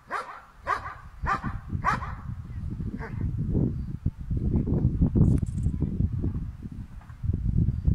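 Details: German Shepherd dog confronting a cow, letting out four rapid, sharp barks within the first two seconds, after which heavy low rumbling noise takes over for the rest of the recording.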